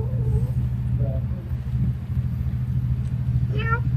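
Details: Cats and kittens eating rice with fish soup at a monastery in Siem Reap, Cambodia; one short, rising, harmonic-rich meow arrives near the end over a steady engine rumble, with a few faint chirps earlier.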